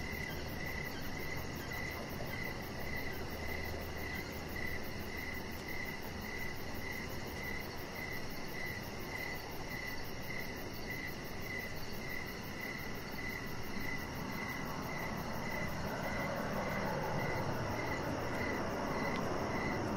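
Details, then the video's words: Crickets chirping outdoors on an evening beside a deck where a pet chihuahua lies, giving short, high, even chirps about every half second over a steady low rumble. "3 Hours Of Chihuahua Puppy Laying On Deck with Cricket Sounds"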